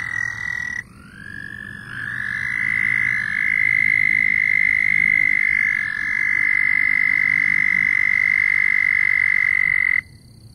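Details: Several loud frogs start up one after another, each trill sliding up briefly before settling into a steady, piercing buzz that runs for about eight seconds and then cuts off.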